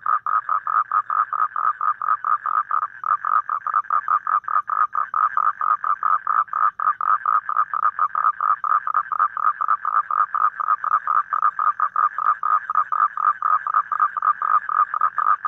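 A toad gives a steady, rapidly pulsed mid-pitched trill that runs on without a break.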